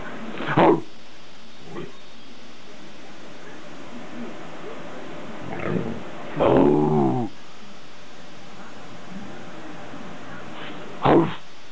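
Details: Eight-month-old pet dog Dexter gives a few scattered barks with long quiet gaps, plus one drawn-out, moaning bark-whine in the middle, over faint room noise.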